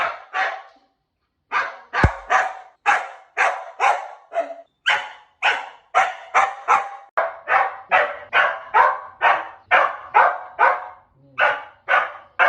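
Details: Dog barking used for sound-habituation training of puppies and noise-sensitive dogs; loud, sharp barks repeat about twice a second in a steady run after a short opening pause, with no other sounds.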